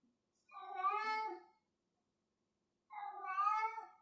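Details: Domestic cat playing with a piece of string, indoors: two long, drawn-out harmonic meows about two seconds apart, each rising slightly and then falling away, with silence between them.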